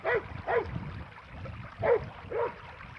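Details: Border Collie named Happy entertains himself with a tennis ball, no human playing; four brief yipping barks sound in two pairs, each quick and mid-pitched, over low background noise.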